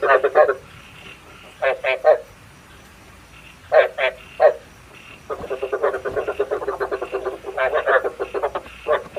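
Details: Frog calls used as a decoy for night frog trapping with a bát quái trap: short bursts of rapid, pulsed, throaty croaks in clusters of two or three, then a longer run of quick rattling pulses near the end.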